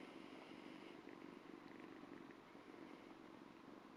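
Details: Ragdoll kitten about two months old purring while it licks a person's hand, a steady, fast, soft rumbling pulse running evenly through the whole quiet recording.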